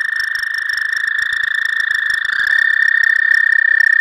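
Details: Frogs among the first visitors to a pond in spring, giving the season's first calls: a steady, continuous high trill, one unbroken pulsing tone that holds throughout with a second trilling voice joining partway.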